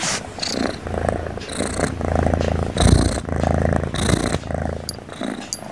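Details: Sleeping cat snoring over and over, a deep droning rattle on each breath in roughly one-second cycles, each inhale carrying a soft airy hiss.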